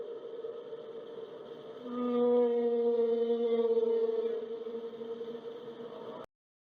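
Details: Humpback whale song, sung underwater, in one long, low, mournful moan with rich overtones, swelling and holding for about two and a half seconds over a steady hum; such songs are sung mainly by males in breeding season, possibly to attract females.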